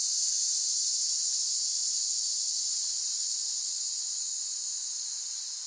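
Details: Cicadas producing a continuous shrill, buzzing drone that stays level throughout and softens slightly toward the end, with nothing else audible.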